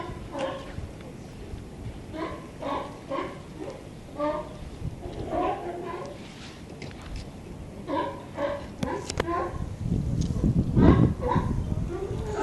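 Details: Several raspy barks from sea lions by a harbour pier in California, recorded 18 November 2011, come in irregular bursts, with a gusty, noisy stretch near the end and steady low background rumble.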